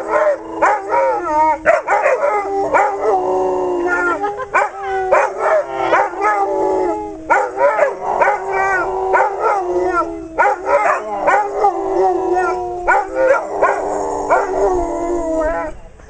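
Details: Several female Weimaraners singing at their owner's urging, a sustained group howl of sliding, wavering tones broken by yips and short gaps, continuing steadily throughout.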